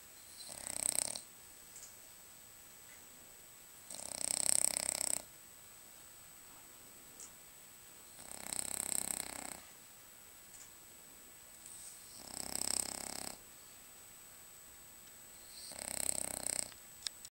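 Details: French Bulldog Lucas snoring in his sleep: five steady, raspy inhaled snores spaced about four seconds apart, each lasting around a second, with quiet breathing pauses between.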